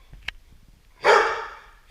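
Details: Golden Retriever SirJi, after scaring off a Roomba, gives one strong, broad bark with a long fading tail, preceded by a faint click.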